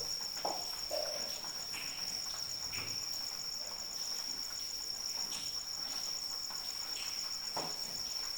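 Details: High-pitched cricket chirring, constant and faintly pulsed, sounds against light rain. A few louder splashes land early in the clip.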